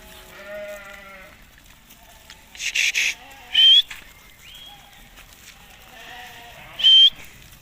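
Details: Hissar ram, Tajikistan, taken at summer pasture on 20 May 2023. A steady, nasal, harmonic bleat opens, followed by short wavering calls, with sharp loud bursts and thumps breaking in between.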